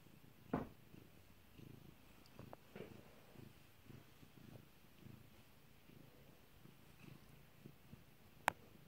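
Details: Pet cat purring while being stroked indoors: a soft, low, steady rumbling pulse, with a few sharp loud pops, one near the start and one near the end.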